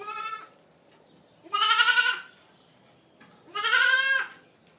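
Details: Young Boer goats, kids of registered mothers, giving three loud harmonic bleats roughly every two seconds, each rising a little at the start and ending abruptly, with near silence between.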